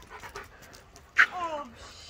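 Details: Dog fretting about its owner gives a sudden sharp yelp followed by a thin falling whine, with soft panting and breathy noises before it.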